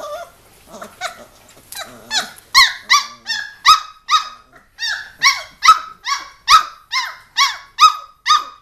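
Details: A litter of three Giant Schnauzer puppies, three weeks old, romping and brawling indoors; after some soft squeaks, one pup starts a run of high bright yaps, about two per second, steady and evenly spaced to the end.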